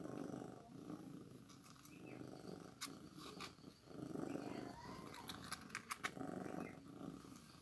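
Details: Newborn kitten being fed milk, with a steady low rhythmic purr of soft pulsing throbs and scattered sharp clicks and handling taps throughout.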